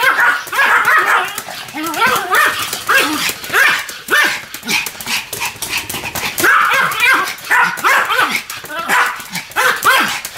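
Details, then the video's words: Duet barking from Sam and Marin, a pair of Pomeranians. Shrill, tightly packed yips come in uneven clusters throughout, peaking loudly near the start and again past six seconds. "犬の鳴き声 ポメラニアン サム マリン デュエット吠え"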